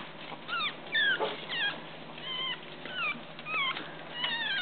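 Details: Tiny Chihuahua puppy, kept apart from larger littermates, learning to walk indoors: thin, high whimpers and squeaks with rising and falling slides, repeated about every half second, over a steady background hiss.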